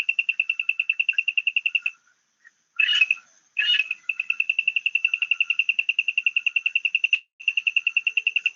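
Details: A frog calls from inside a hollow bamboo stem, which it entered through a hole probably made by rodents. It gives rapid, high, clicking pulses about three per second, with a short pause and two rough, broad bursts partway through.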